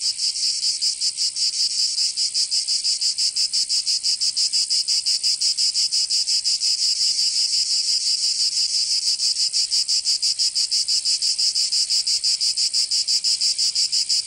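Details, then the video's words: Cicadas in Provence, southern France, in summer: an unbroken, piercing buzz pulsing rhythmically about three times a second, very regular and steady in loudness over the full length. "Canto Cigarra 🦗 [ Escuchar les cigarras en verano 10 H]"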